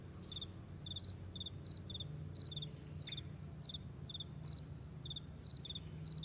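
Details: Morning meadow crickets: crisp high pulsed chirps from a few insects overlapping in an uneven rhythm, about two per second, with a constant deep droning hum underneath.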